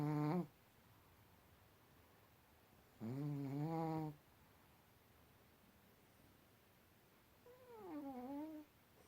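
A Pekingese snores in low, throaty, voiced rasps at uneven intervals.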